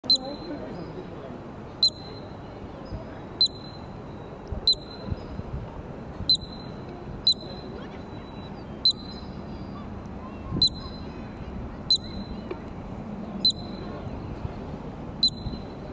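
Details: Columbian ground squirrel in a park near Banff, Alberta, Canada, watched by a crowd: sharp, piercing single chirps repeated roughly every one and a half seconds over a soft background hum.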